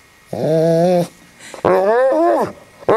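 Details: Pet dog Harley, indoors with the household cat Puddles that dislikes dogs, trying to coax it into play: two drawn-out, tonal, howl-like "talking" calls, the second bending up and then down, with a short start of a third at the end.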